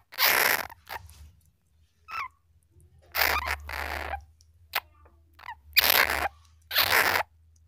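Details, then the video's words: Flying squirrel call for attracting squirrels in the wild: loud, scratchy, hissing bursts about half a second long, spaced irregularly, with faint short squeaks between them and a low hum beneath. "Suara bajing terbang , jernih mantap untuk pikat di alam liar"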